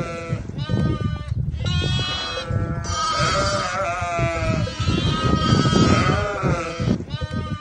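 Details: Goat kids bleating continuously, several overlapping wavering, nasal cries, each a second or so long, rising and falling in pitch, repeated in quick succession with steady background noise.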